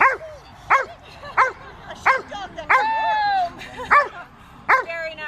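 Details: Monty, an Old English Sheepdog, herding sheep: sharp barks repeated roughly every 0.7 seconds, one drawn out into a falling whine, with faint talk in the background.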